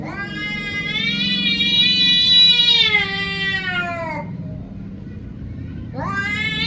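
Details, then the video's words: Cat giving a long, loud, strained meow that holds steady for about three seconds, then slides downward and stops. A second meow rises sharply near the end, with a low mechanical hum underneath throughout. "meow little kittens Vs cats"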